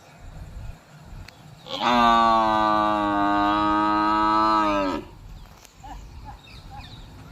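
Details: A buffalo's long, sustained moo of about three seconds, even in pitch and strongly harmonic, dropping slightly as it fades, with low rumbling noise and faint scattered sounds around it.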